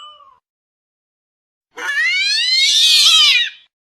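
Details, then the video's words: House cat producing an odd, high-pitched drawn-out meow about two seconds long, rising then arching down, shrill and strained, after a brief tail of an earlier cry and a silent gap. "this weird sound is from a cat"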